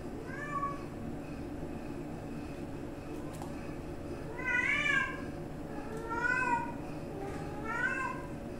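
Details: Kittens and grandkittens at home. Four clear, high, arching meows come every one to two seconds over a steady indoor hum, with a faint click between them.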